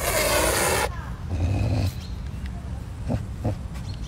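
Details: Caracal gives one harsh, breathy hiss lasting almost a second, then a low rumbling growl and a few soft clicks in a quiet room, hissing over chicken it is eating.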